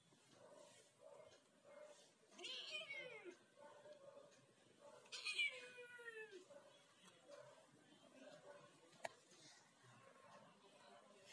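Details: Ginger cat talking, with two fairly faint, descending meows a few seconds apart over a low steady background hum and a single sharp click.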